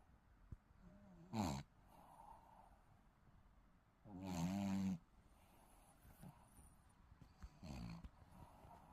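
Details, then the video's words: Sleeping Shih Tzu puppy snoring: three loud, rasping, snorty breaths roughly three seconds apart, each about a second long with a low throaty buzz, and quiet soft breathing between them. "시츄 코골이 아가"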